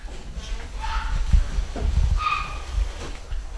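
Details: Home-bred pedigree Basset Hound puppies from a UK litter give two short, high, tonal whimpers, the first near one second and a brighter, longer one a second later, over low rumbling handling and shuffling noise.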